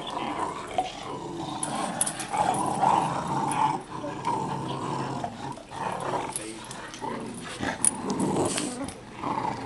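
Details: Pika, a dog, playing tug with her puppies and dragging the toy slowly without jerking, gives a low rumbling play growl with short whimpering squeaks, under a woman's voice praising her.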